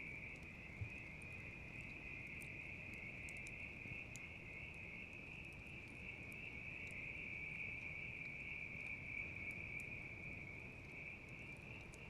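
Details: Continuous high-pitched ringing of a bell cricket, level and unbroken across the whole stretch, accompanied by the intermittent crackle and snap of a campfire and a soft low roar from the flames.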